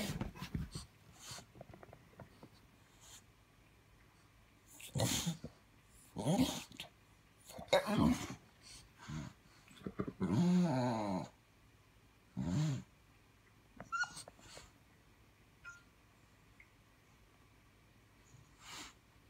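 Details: An English bulldog, kept alongside a Boston terrier, gives deep, gruff barks in scattered bursts with quiet pauses between them, apparently alerting to something outside.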